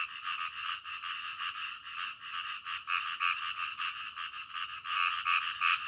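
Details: Night-time frog chorus of quick, raspy croaks in steady succession, about three each second, swelling louder toward the end; nothing else audible.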